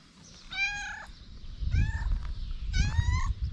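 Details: Homeless street cats in Morocco, fed daily, meowing on seeing the person who brings their food: three drawn-out, tonal meows, each about half a second long and slightly falling, with low rumbling noise between them.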